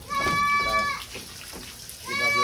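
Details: Jumbo Senduro Etawa goat being bathed, giving two loud, steady, nasal bleats: the first held for nearly a second, the second starting after a short pause and running to the end, with splashing water and human voices in the background.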